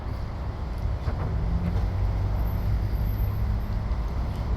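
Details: Steady low traffic rumble, like passing vehicles, with no animal calls.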